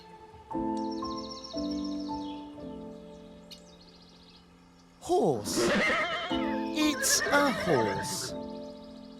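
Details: Horse neighing in the second half, a loud wavering whinny with rising and falling pitch, over gentle piano music that plays throughout; a child-style voice names the animal.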